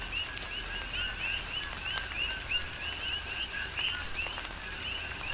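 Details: Big Island, Hawaii: coqui frogs sing in rainfall, with bright upswept chirps following one another every fraction of a second above a steady lower tone, set against rain hiss and occasional sharp drop impacts.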